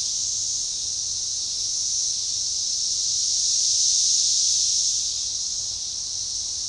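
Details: Magicicada tredecassini periodical cicadas chorusing in synchrony at a forest edge near DeValls Bluff, Arkansas, June 7, 2015: continuous piercing buzz rising to one broad crest around the middle before settling back.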